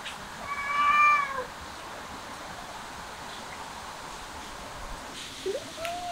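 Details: While eating grass, a cat utters a clear, slightly drawn-out meow, steady in pitch with strong overtones, then stays quiet apart from a brief rising squeak near the end against faint background hiss.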